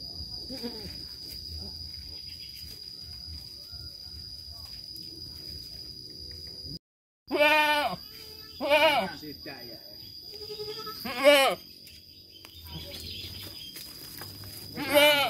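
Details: Farm goats, a mother with her kids, after a quiet stretch give four loud, quavering bleats, two close together and then two spaced a few seconds apart. A steady high-pitched tone runs beneath them.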